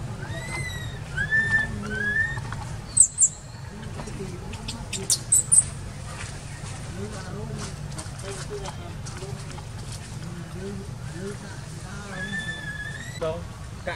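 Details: Baby wild monkey in Cambodia crying for its mother: thin, high wavering cries with bent, sliding tones, clustered at the start and again near the end, over a steady low rumble with scattered chirps and clicks.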